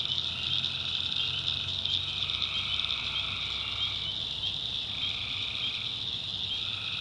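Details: Night chorus of tree frogs from North Carolina backwoods swampland: a constant shrill wall of calling, with lower buzzy trills rising from it for a few seconds at a time and a soft low rumble in the background.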